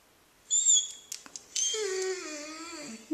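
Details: Makena, a pet dog called a puppy, reacting on February 7, 2013 to a McDonald's singing toy fish she dislikes: two high, thin whistled tones, then a long, drawn-out whine that slowly slides downward. Indoors, with a person speaking nearby.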